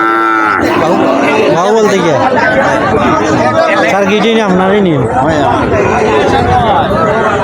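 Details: Deshi Sahiwal cattle of a farm-suitable type at Mirpur cattle market, Habiganj, on 31 July 2024; a few drawn-out, wavering moos rise and fall amid constant crowd chatter and men bargaining over prices.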